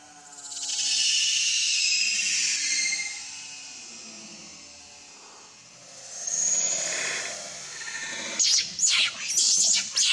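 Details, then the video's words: Baby monkey Leo begs its mother for milk with long, high, wavering cries: two drawn-out wails separated by a quieter pause, then a burst of sharp, clipped squeals and clicks at the end. "Very Pitiful Leo Crying Angry Mom Because Need Much Milk"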